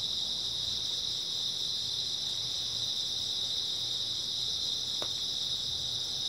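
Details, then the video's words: Early autumn night chorus of grass insects: continuous shrill high trilling from many callers, unbroken throughout, with one brief soft click near the end and a quiet low hum underneath. "초가을 밤부터 새벽까지 백색소음 풀벌레 소리"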